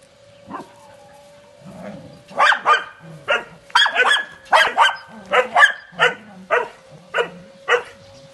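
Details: An 11-month-old Doberman puppy barks in a series of sharp, loud barks, about a dozen over eight seconds, coming in quick bursts after a softer start, with a steady faint tone underneath and a person speaking briefly afterward.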